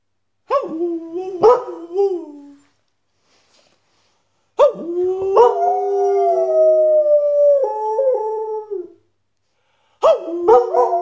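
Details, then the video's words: Male Border Collie howling along when its owner howls with him: sustained, wavering tonal howls, one long drawn-out note sliding slowly downward, separated by short gaps of silence, with a brief burst of rising yelps at the end. "Border Collie singing / howling"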